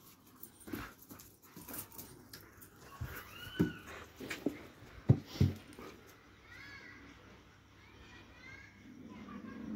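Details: Dobermann producing wavering, arched whimpers, with sharp knocks and thumps in between and a later run of quick, high whines as the room grows quieter.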